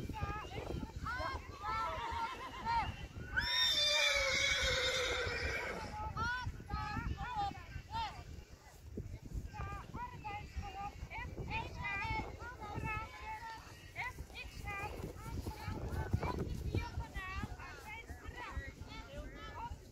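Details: Friesian horse neighing during a dressage ride: a loud, shrill whinny of about two seconds, descending and wavering, rises over a person talking throughout, with soft hoof sounds in the background.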